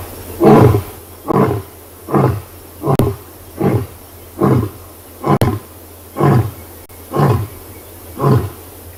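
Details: On a South African morning safari on 5 August 2020, a huge male lion starts to roar with a series of deep, coughing grunts about once a second, after guineafowl flee cackling in alarm.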